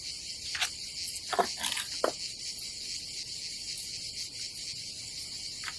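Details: Cicadas on a summer day at a seaside campsite by the Adriatic Sea in Croatia: a steady, dense high hiss. A few sharp clicks and knocks stand out early.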